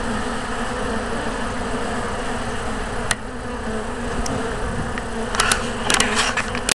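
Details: Western honey bees (Apis mellifera) of a yellow hive make a steady, dense hive drone, with a few sharp clicks and taps near the end.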